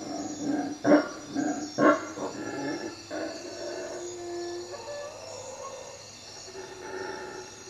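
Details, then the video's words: Howler monkeys calling at night from treetops above a hut at Lake Peten Itza, Guatemala: two loud, rough, low roaring bursts, then fainter drawn-out moaning howls over a steady hiss of night background. "Howler monkeys at night"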